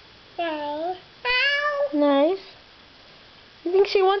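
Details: Pet cat meowing as it is petted with a foot indoors; four short meows, some rising then falling, separated by pauses of about half a second to a second, in a small quiet room.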